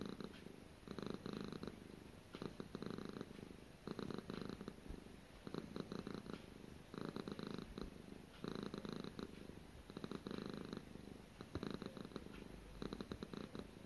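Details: Domestic cat Gara purring continuously through her daily routine: roughly ten regular rumbling cycles, each a throbbing burst of rapid low pulses, alternating with short softer pauses.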